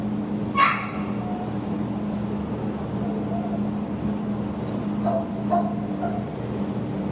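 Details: American Pit Bull Terrier up for adoption through Petango, recorded 15 September 2015: one sharp bark near the start, then a few fainter barks toward the end over a steady low electrical hum.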